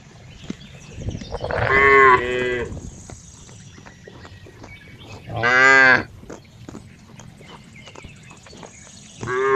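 A cow gives loud, drawn-out moos, roughly one every few seconds.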